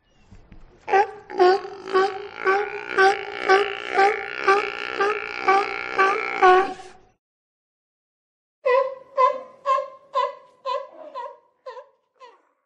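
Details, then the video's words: Rhythmic honking barks from a sea lion, about two each second in a long run, then a pause and a second, shorter and cleaner series of clipped barks. "SEA LION SOUND EFFECTS - Sea Lion Bark"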